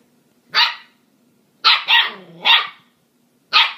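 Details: Playing husky and corgi puppies give bright, yappy barks, one alone, then a quick run of three, and a final yip after a pause; a low steady hum sits in the background.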